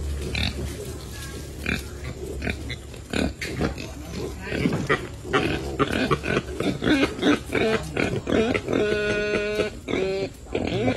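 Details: Wild boar piglets, brown with lengthwise stripes, foraging and playing beside their mother in a garden; the boar are kept semi-wild and eat grass and bananas. Dense bursts of short, rough grunts with rustling, plus a brief harmonic squeal near the end.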